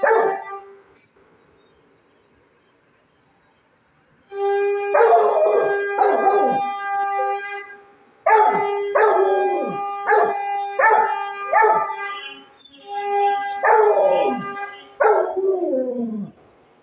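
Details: Rottweiler howling along to a conch blown during evening aarti: long, steady, buzzy conch blasts repeated several times, mixed with the dog's barking and sliding howls between and over them.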